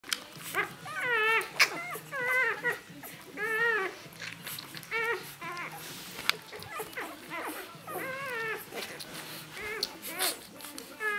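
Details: Two-day-old Rhodesian Ridgeback puppies of an E-litter, indoors while nursing and drinking milk; several pups give high, squeaky whimpering squeals, arched and wavering, tumbling out about once a second with short pauses, over soft rustling.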